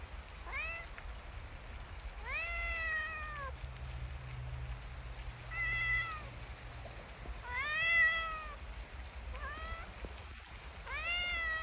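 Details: Domestic cat meowing about seven times in twelve seconds, with clear rising-then-falling tonal meows, some drawn out and some short, over a faint low hum.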